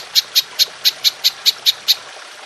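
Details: Golden grasshopper (belalang emas) in a long-shooting 'nembak panjang' call, recorded as tutor audio for training songbirds: nine sharp, high, clicky chirps repeated evenly about five times a second over a faint steady hiss.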